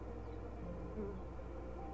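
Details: Honey bees at a hive check at "The Mountain" on 22/6/29, the hives busting with honey, queen seen with brood of all stages; a low, steady droning hum with faint tonal bands, no other clear sounds.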